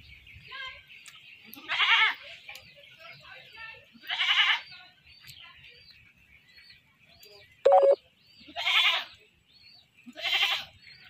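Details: Caught goat before slaughter, bleating four times in shaky, harmonic-rich cries roughly two to three seconds apart, with a brief sharp beep midway and low background talk.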